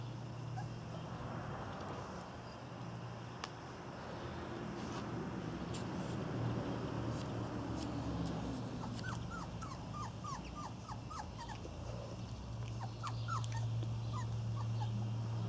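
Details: Irish Terrier puppies of a litter on their first outing, giving short high yips and whimpers repeated rapidly in bursts over a steady low hum.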